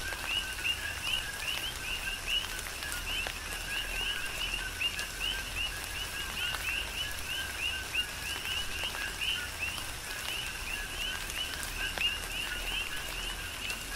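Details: Chorus of coqui frogs on Hawaii's Big Island in a tropical rain shower, their short rising two-part chirps repeating continuously and overlapping, with gentle rainfall and scattered drop ticks underneath.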